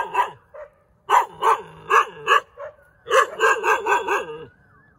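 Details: Dog barking in bursts: a single yap, then a quick run of four sharp barks after a pause, a short yelp, and a rapid series of five or six barks, with brief whining between groups.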